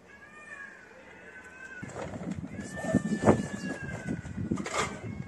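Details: Street cat meowing: a drawn-out, slightly falling meow in the opening seconds, then scuffling and knocking noises with a few brief sharp sounds.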